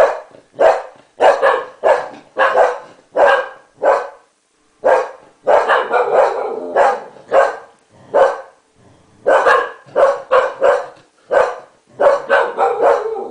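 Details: An English Cocker Spaniel barks in quick, uneven bursts of sharp, mid-pitched woofs, reacting to its owner's sneeze by barking at them.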